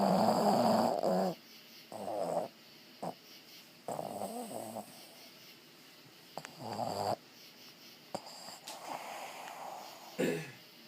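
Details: Sampson the dog snoring indoors in a small room: rough, throaty harmonic snores come in bursts every two to three seconds, loud at first and then softer, with quiet breathing gaps between.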